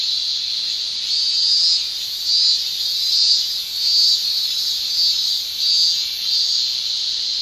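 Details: Summer cicada song from Japan, an unbroken high buzzing with regular surges of loudness about every second, layered over a steady shrill hum.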